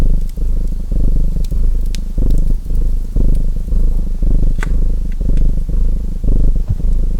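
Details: Domestic cat purring beside a crackling fireplace: a deep, steady rumble broken into short breath-paced bursts about every half second, with sharp wood crackles popping above it.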